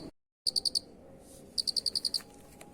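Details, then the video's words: Cricket chirp recorded as master song for training birds: a short run of four quick high pulses, a pause, then a longer train of about eight evenly spaced shrill chirps over low steady background noise. "Masteran suara Jangkrik Unik"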